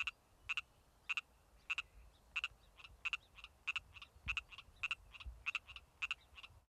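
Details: Male Pacific tree frog calling in late spring: a steady series of about twelve sharp, two-part croaks, one roughly every half second, with softer, fainter notes between them and a quiet background.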